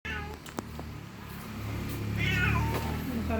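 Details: Mother cat calling for her lost kitten: two drawn-out, wavering meows, one at the start and a louder one after two seconds, over a steady low hum.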